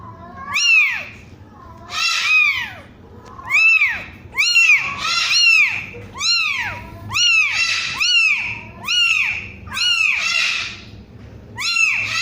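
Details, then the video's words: Kitten aged one week crying steadily: about nine high-pitched arched mews, each rising then dropping, repeated roughly every one to two seconds, loud and insistent with faint background hum. "SUARA KUCING USIA 1 MINGGU"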